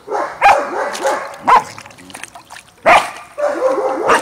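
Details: German Shepherd puppies socializing with an older puppy at a kennel in Washington state: sharp, high barks about four times in four seconds, with whiny, wavering yelps filling the gaps between them.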